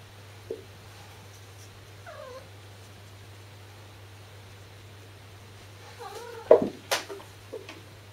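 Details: Momo, a kitten under a year old, fetches a thrown ball of shed cat fur. She gives wavering, yodel-like cries, one early and a louder cluster near the end. Thumps of running or the ball follow, over a steady low hum.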